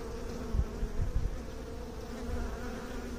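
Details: Honey bees buzzing in a continuous, steady low drone with a clear humming tone held throughout, broken by a few soft low thumps in the first half and near the end.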